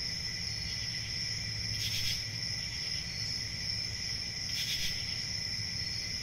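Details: Steady high cricket chirping rings without a break. Two louder pulsed bursts stand out about three seconds apart, with a soft low rumble underneath.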